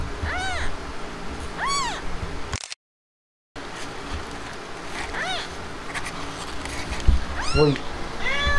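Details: Himalayan cat that has just given birth, with her kittens; clear arched meows repeat at irregular intervals, four or five in total, broken by a second of dead silence, over a steady low room hum.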